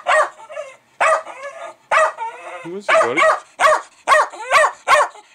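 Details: Pet Jack Russell Terrier Milo goes crazy over fermenting beer. Rapid, high barks come about once a second, speeding into a run of yaps near the end, while a man's voice asks what he doesn't like.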